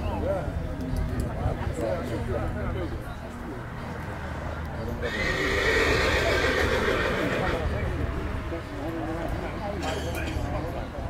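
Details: Colt foal Dinken, born 19 May, of Cormint and Casall lines, shown as number 105 at a foal presentation. Midway a loud whinny swells and holds about three seconds over steady male commentary, with hoof clip-clop and crowd noise around it.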